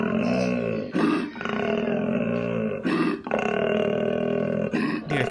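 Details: Koala (Phascolarctos cinereus) bellows in long, deep, snoring rumbles broken by sharp rasping inhalations, described as a mix between a donkey and a tiger.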